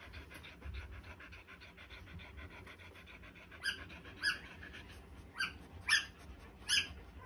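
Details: Australian Shepherd puppies three days old, a soft hiss and breathing at first, then five sharp high squeals spaced under a second apart near the end.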